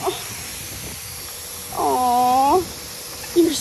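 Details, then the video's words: Tonka, an Alaskan Malamute, cries while in a bathtub during his blowout, and husky Monroe jumps in to comfort him. One drawn-out whining cry lasts under a second, holding steady then lifting slightly at the end. A woman speaks softly before and after. "Comfort Crying Malamute"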